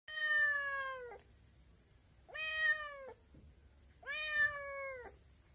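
A kitten gives three drawn-out, slightly falling meows, each about a second long, with short pauses between.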